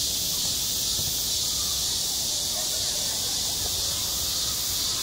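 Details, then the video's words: Summer cicada chorus over a school playground, a steady shrill hiss-like drone without pauses, and only faint low murmurs in the background. "한 여름 운동장에서 매미가 울고 있다 - 여름의 소리, 학교 종소리, 매미 울음소리"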